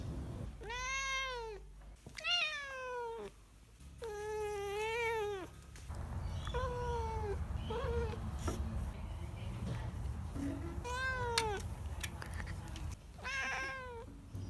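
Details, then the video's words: Pet cat giving a run of varied meows: long wavering cries, shorter falling mews and a few brief chirps, with low room rumble and faint background noise between calls. "Weird Meows/Sounds My Cat Makes"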